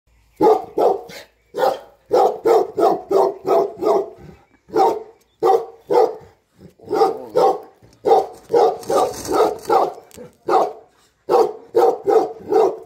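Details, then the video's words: Tibetan Mastiff, the Bhote Kukur herding dog of Nepal, guarding home and farm while the owner is away: deep repeated barks in bursts of several, with short pauses between runs. "घर र फार्ममा मालिक नहुदाको रक्षक || गोठालो भोटे कुकुर || Bhote Kukur || Tibetan Mastiff In Nepal"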